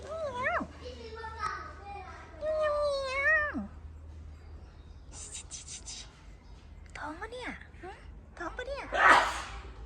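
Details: Oddly coloured cat at the 100-year-old Khlong Sip Song market, Lam Luk Ka, Pathum Thani, Thailand, January 2025, reluctant to 'talk': several drawn-out rising-then-falling meows, with one near the start and a longer one around three seconds, mixed with a person coaxing.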